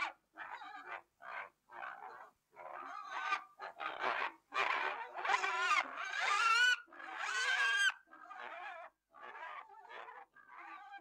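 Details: Pig giving a long series of short, nasal grunting calls, about one each second, some rising into louder wavering squeals midway before settling back to brief grunts.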